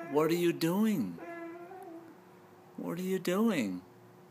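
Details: Two Basset Hounds, their play barking turned into unprovoked howling, howl in rich, mournful bursts that rise and fall, with a long steady note between.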